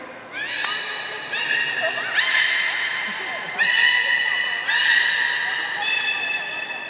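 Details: Captive beluga, public training session at Port of Nagoya Public Aquarium, Japan, 4 November 2018, 16:00: a run of six squeaky, horse-like whinnies with many overtones, each about a second long, following one another almost without pause in an echoing hall.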